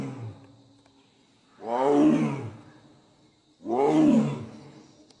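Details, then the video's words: Two deep, harsh roars from a Sundarbans tiger, about two seconds apart. Each builds to a loud peak and then decays, with a low rumble at the start. "Roar /sundorbon tiger"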